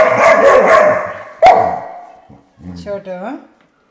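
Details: Five-month-old puppy that hates the sound of a door stopper gives a long, harsh bark, then a sharp knock from the stopper, followed by short, rising whiny yelps.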